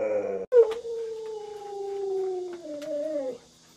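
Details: Pet Alaskan Malamute Lolo at home, provoked by its owner pretending to eat dog-meat hotpot, gives a long drawn-out howling whine that slowly falls in pitch, lifts briefly near the end and stops, after a short sharp knock.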